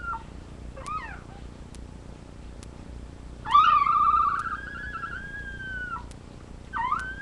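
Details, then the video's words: Labrador retriever puppies on a live puppy cam: a brief upward squeak, then one long loud whine that starts strong and fades slowly over about two seconds, followed by another rising whimper. "Puppies Making Noise"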